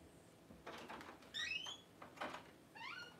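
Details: Newborn Cavalier King Charles Spaniel puppies indoors as their mother Paris whelps her first litter: a string of thin, high squeaky cries, several rising then sliding down, short and uneven, with faint rustling and bumps between them.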